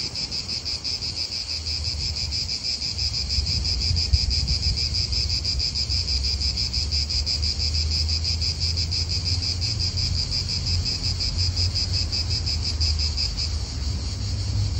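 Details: Cicadas droning in an Italian park, their high pulsing buzz constant from start to end while a steady low rumble of wind and car traffic grows beneath it.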